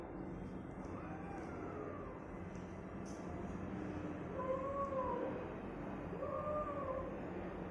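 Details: Cat meowing indoors, three faint drawn-out meows, arching then falling, at about 1, 4.5 and 6.5 seconds over a steady low hum with faint clicks.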